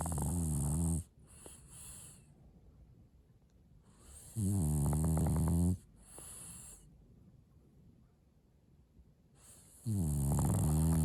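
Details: French bulldog snoring: loud, rough, throaty rattling snores in long bursts, with silent pauses of several seconds between them.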